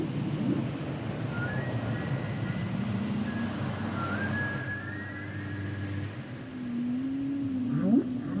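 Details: Humpback whale song: long drawn tonal moans rising and falling, a low hum under higher whistled sweeps, ending in quick upswept cries, over a steady underwater rumble.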